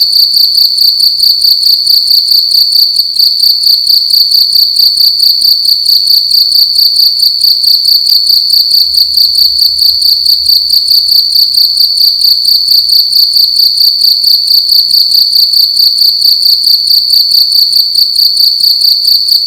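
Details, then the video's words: Nighttime cricket calling loudly within a room: an unbroken series of rapid, high, ringing chirp pulses at a steady rhythm for the whole stretch, with a faint low thud near the middle. "Cricket making loud sounds at night in a room"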